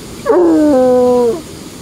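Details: Trapper the coonhound howling at his favorite dam spot, where he sits and stares at the water; one sustained howl that dips in pitch, then holds steady for about a second before fading.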